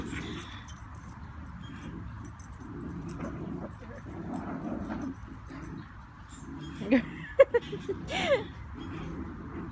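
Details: Schnauzer Luna playing tug of war: low rumbling growls come in bursts of about a second, separated by short pauses, with a few higher whining squeaks near the end and a person talking softly.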